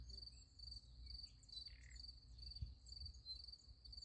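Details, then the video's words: Crickets at night beside a sunflower field, chirping in a steady high pulsed stream with no pauses. A brief lower call cuts in midway, over a constant low rumble. "Nice Sunflower Field with Crickets Sound Effect"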